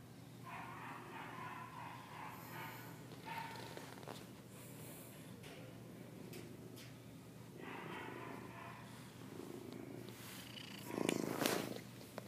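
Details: Domestic Shorthair cat up for adoption, FIV positive, afternoon in February 2014: soft continuous purring beneath room noise, with a louder rustling burst near the end.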